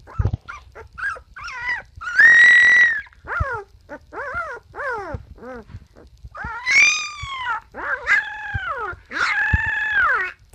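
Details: Ten Siberian Husky puppies howl in high, arching notes, some short and yipping, others long and drawn out.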